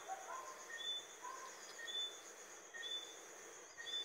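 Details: Eleutherodactylus johnstonei, the small nocturnal Johnstone's whistling frog, giving sharp upward-sweeping whistles about once a second, four in a row, with a constant high buzzing drone and faint lower warbling notes behind.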